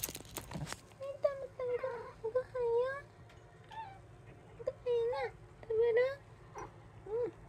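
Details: Domestic cat in a home shared by three cats (brown tabby, Munchkin, Abyssinian), recorded 7 October 2024: a series of short, arched, mid-pitched meows with rich overtones, spaced irregularly, after a sharp clatter at the start over a low indoor hum.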